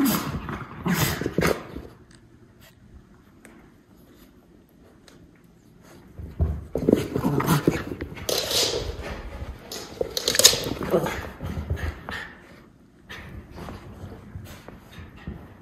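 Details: Two white Miniature Schnauzer puppy brothers tussling indoors after eating, filmed April 21, 2022 in Aroostook County, Maine; rough bursts of scuffling and grumbling play sounds come in two spells, with quiet gaps between.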